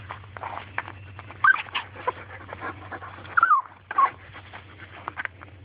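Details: Small dog wanting a turtle, making monkey-like sounds: a few short, high, wavering whines spaced across the recording over a steady low hum, with quiet gaps between.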